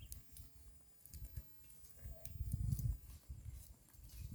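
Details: Herd of cattle grazing green grass at the roadside: low, rough tearing and chewing crunches in uneven bursts, with a louder grinding patch midway and faint clicks above.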